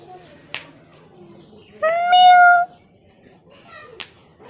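A kitten gives a single clear, high meow that rises slightly and then holds steady.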